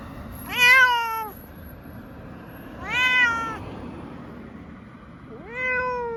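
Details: Munchkin cat on a trip to an animal hospital for a blood test gives three plaintive meows, each rising then gently falling, spaced two to three seconds apart, with a faint high electronic tone at times.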